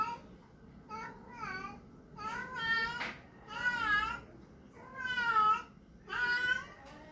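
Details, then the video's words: A cat producing funny sounds: about six wavering, harmonic meows of varying length, some bending up and down in pitch, at irregular intervals in a small quiet room. "Cat making funny sounds"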